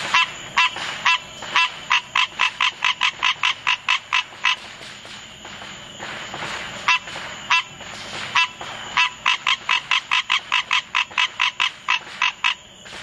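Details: Green tree frog calling through July 4th fireworks: fast runs of short, nasal, honking notes, roughly two or three per second, broken by a brief pause midway, over a steady high-pitched hum.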